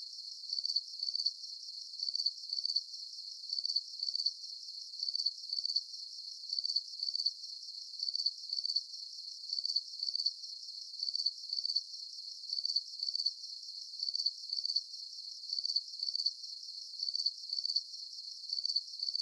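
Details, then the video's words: Crickets calling at night during a full moon: shrill, pulsing chirps grouped in short bursts and repeated steadily about once per second, against silence. "Звуки природы Ночь Сверчки"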